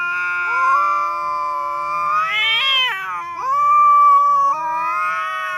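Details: Quarrelling pair of cats yowling: sustained moaning howl that climbs into a louder wavering peak, dips sharply, then levels into a steady drawn-out wail, two voices overlapping at times.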